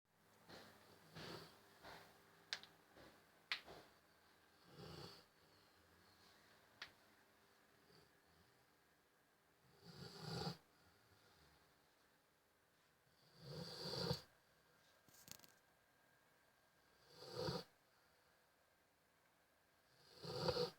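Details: A sleeping Rottweiler snores in slow, rasping breaths, each rough snort coming every three to four seconds.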